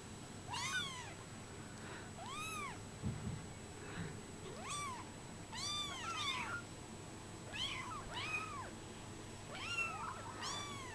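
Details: Brown Bengal kittens aged 24 days, indoors, meowing over and over: short arched squeaks come about every second, sometimes overlapping, over a low background hum.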